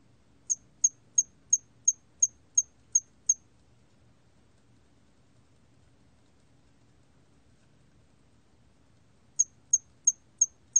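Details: Song of a hairy cricket, recorded in 2020: a run of eight crisp, very high chirps evenly spaced, a pause of about six seconds with only faint low hum, then five more chirps in the same rhythm.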